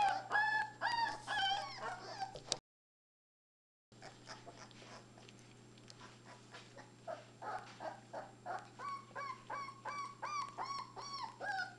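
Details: Labrador Retriever puppies, three weeks old, at play, give rapid high squeaks and rising-falling whimpers, many voices overlapping. There is a brief silent break, then softer, steadier whining builds again over a constant low hum.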